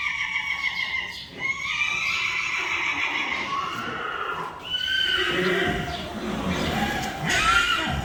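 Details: Friesian horses neighing, part of a compilation from a stable of 25 Friesians: long harmonic whinnies that rise and then fall in a quavering slide, one horse following another, with hoof clip-clop and brief human voices behind.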